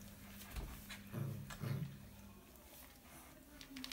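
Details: Alaskan Malamute puppies playing with their mother give short, low, rumbling growls in two quick bursts, in a whelping box.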